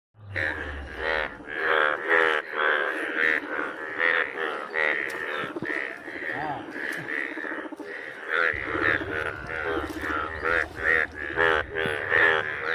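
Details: A dense chorus of frogs in a village, with overlapping nasal, pulsed croaks repeated rapidly without pause.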